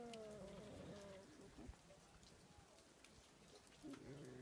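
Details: Fighting foxes at Zao Fox Village in Japan during winter: a drawn-out, slightly falling harmonic whine opens, a quieter gap with soft patter follows, and another whining cry begins near the end.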